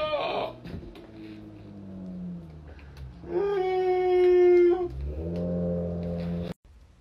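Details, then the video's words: Chihuahua indoors giving a drawn-out, wavering howl with whimpering tones, rising into a steady high-pitched note before easing off, then ending abruptly. "Funny and Angry Chihuahua moments"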